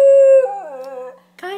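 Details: One-year-old male Schnauzer singing along indoors, a long steady tonal howl that wavers and slowly drops, then a brief second rise after a short pause.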